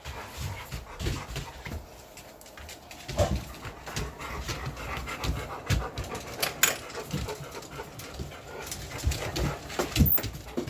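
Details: English Mastiff house dog, one of six named giants, heard panting steadily in loud, breathy bursts for about ten seconds, with close handling noises and rustling throughout.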